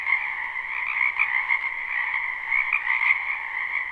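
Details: Spring wetland frogs in full chorus, live recording without looping: continuous overlapping trills with a few louder individual croaks popping out above the steady buzzing drone.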